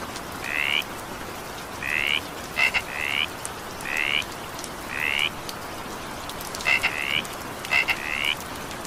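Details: Frog calling during evening rain: short upward-sweeping croaks with a bright harmonic, about one each second, mixed with sharp double clicks, all over a steady hiss of rainfall.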